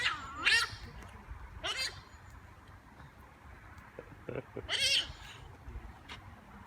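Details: Giant otters at play, greeting visitors on arrival: short, high, harmonic squealing calls that sweep up and down, heard near the start, at about two seconds and loudest near five seconds, with faint clicks over a low background rumble.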